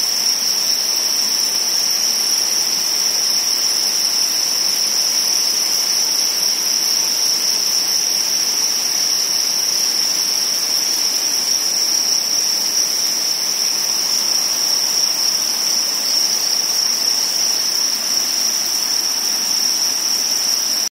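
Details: Breeding crickets, shown spawning, fill the air with a constant shrill, high trill that never pauses, layered with a soft background hiss.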